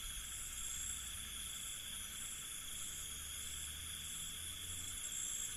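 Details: Night ambience from an Indian village: many crickets keep up a continuous, even, shrill trilling in stacked high bands, while a faint low hum drifts in the background.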